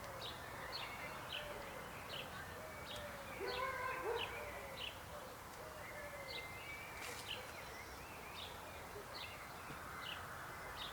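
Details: A frog chorus with lower, rolling croaks rising out of a steady wash of distant calling, while sharp high chirps tick along rapidly and unevenly in the background.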